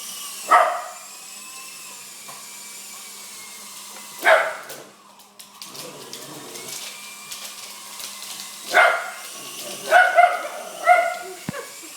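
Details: Dog barking at a helicopter he loves: single sharp barks spaced several seconds apart, then a quicker cluster of three near the end, over a steady mechanical whine and hum.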